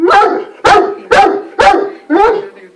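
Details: A male Weimaraner that seems to have startled himself gives five loud, deep barks in quick succession, about two each second.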